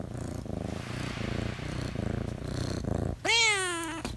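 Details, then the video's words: Talkative domestic cat: a steady low rhythmic purr for about three seconds, then one loud, drawn-out meow that rises and falls, with rich harmonics, near the end. "JUST A CHATTER BOX CAT"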